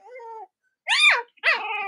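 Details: Cavalier King Charles Spaniel puppies, the litters of mothers Robin and Myra, kept indoors in the US on a chilly Monday morning near Halloween; a soft level whine, then two loud arching squeals, the last trailing off in a wavering cry.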